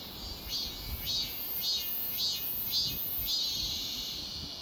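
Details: Cicadas buzzing in a steady high drone, punctuated by rhythmic pulses about twice per second that swell and ease across the whole stretch.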